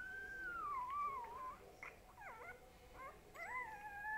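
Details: Boo Boo, a little pet dog, opens with a long wavering howl that dips and swells, breaks into a few quick squeaky yelps, then rises into another sustained harmonic howl that trails off.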